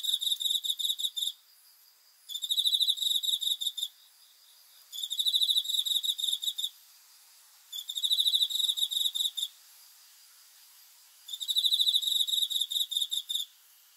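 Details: Steady night chorus from a cricket: five bursts of rapid, shrill pulsed chirping, each about one and a half seconds, separated by short, roughly even pauses over fourteen seconds.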